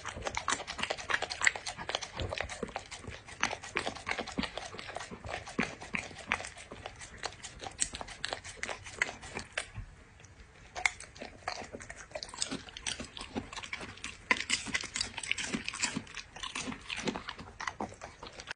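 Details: Pet dog eating, close-up: dense crunchy chewing and biting bursts fill the recording, sharp clicks repeating rapidly with a brief quieter lull near the middle, indoors with no other clear sounds.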